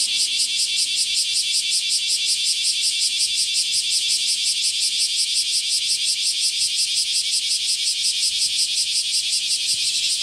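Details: Massed bear cicadas sing close by on a sweltering summer morning, 23 July 2018. The harsh, high buzzing swells in a regular beat of roughly three pulses per second, sustained for the whole stretch.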